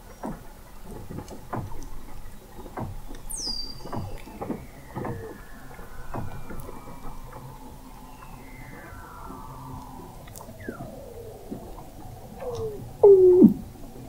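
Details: Weddell seals singing under sea ice in McMurdo Sound, Antarctica, November 2017, from an observatory 21 m down: rapid clicking patter with downward chirps, a long whistle descending from very high to low pitch, ending in a loud short trill.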